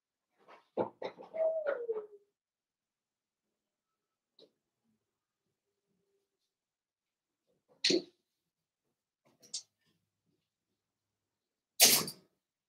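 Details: Blenheim Cavalier King Charles Spaniel puppies, a litter of five born at New Year, playing with their mother Paris in an indoor puppy pen; a brief cluster of yips and a squeal sliding downward, then sparse knocks and bumps in a quiet room.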